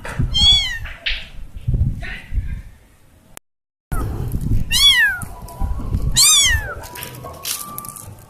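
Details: Lost kitten separated from her family, crying out with several loud, high meows that arc up then fall, bright and harmonic-rich, in short bursts, with a brief silent gap midway and low background rumble.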